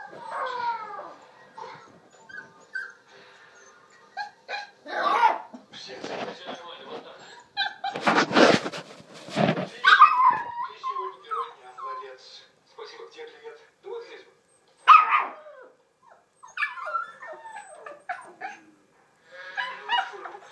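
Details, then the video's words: Scottish Terrier puppies, several Scotties, vocalizing together in high, wavering whines and yelps with rising and falling tones, short bursts separated by brief pauses, plus a loud noisy rustle midway. "Young singers Scotty"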